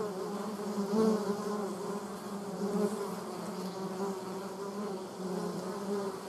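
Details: Honey bees in a dispute with German wasps at water, heard as a steady droning buzz with a low hum and a brighter overtone layered above, swelling slightly around the first second.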